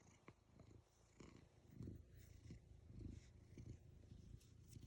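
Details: Black cat lying on a lap, purring: a soft, deep, rumbling purr that swells and fades roughly once a second with its breathing, close and quiet, with faint light rustles.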